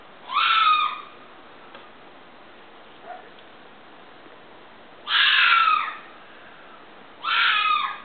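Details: Fox scream: three harsh, hoarse shrieks of under a second each, rising then falling, with the second coming about four seconds after the first and the third two seconds later, over a steady hiss.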